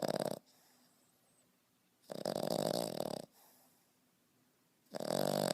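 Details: A 5.5-month-old French Bulldog snoring loudly like a grown man indoors. Three harsh, rasping, buzzy snores arrive about every two and a half seconds, with quiet breathing between them.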